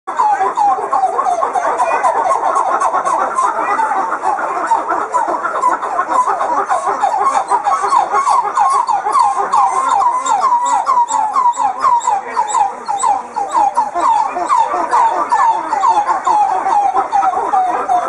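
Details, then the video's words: Red coppery titi monkeys singing together in the morning, a varied chorus that keeps the group together. Dense, overlapping, rapidly repeated whooping notes around a steady mid pitch continue throughout, with some higher chattering above. "Red Titi Monkey Call Singing"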